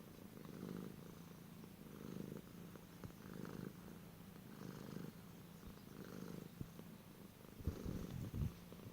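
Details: Domestic cat purring, presented among unusual cat sounds: a low, rumbling purr in rhythmic swells roughly every one and a half seconds, each breath cycle audible, in a quiet indoor setting.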